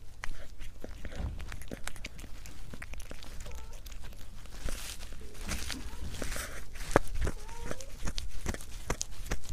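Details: Cat eating, recorded close up: irregular sharp crunching and clicking chews scattered throughout, with a low rumbling background and a few faint thin tonal squeaks midway.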